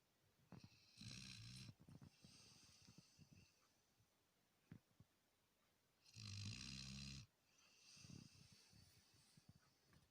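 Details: Labrador Retriever snoring in its sleep, two loud rasping snores several seconds apart with snuffling breaths and small snorts between them.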